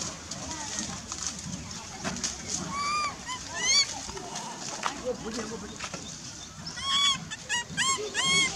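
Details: Baby monkey named Lizza, wild in forest at Angkor Park, crying to call its mother; repeated high, arched, whining cries with rich harmonics, several in quick succession near the end, over rustling, splashing and background voices.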